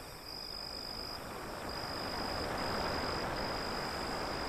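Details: Cricket song near the seashore: a high, unbroken ringing trill that pauses briefly once, then carries on steadily, layered over a heavy, swelling wash of surf.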